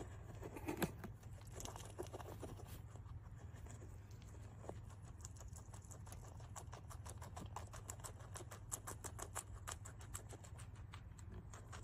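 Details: Guinea pig eating grass: quick, crisp crunching clicks of chewing come faster and denser in the second half, over a steady low hum.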